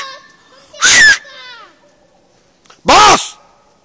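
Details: Boss, a mixed dog (half vorsteh, quarter German shepherd, eighth Siberian husky, eighth keeshond), holding a moose at bay. Two loud, harsh, clipped barks land about two seconds apart, with a faint voice in between.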